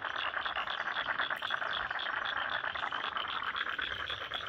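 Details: Frogs in a Sydney wetland at Lane Cove National Park produce a thick, unbroken chorus of fast rattling pulses, many individuals calling together at a mid-high pitch.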